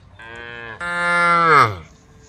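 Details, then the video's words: Tame cow on the road calling to the herd: a rising, strained moo that builds in loudness, peaks, then slides down in pitch as it fades. "the sound of cows calling the herd"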